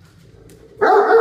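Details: Male Great Dane Max loudly greeting guest dogs indoors: a sudden strong, rich, sustained bark-like vocal starting after a low hum, bright and steady to the end.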